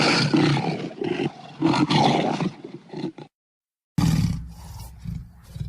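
A lion roars in deep, rough bursts, broken by a brief silence.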